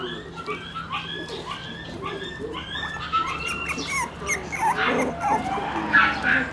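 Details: Shiba Inu puppy, one month old, wagging its tail: thin rising and falling whines and squeaks in quick succession, louder near the end, over background music and faint voices.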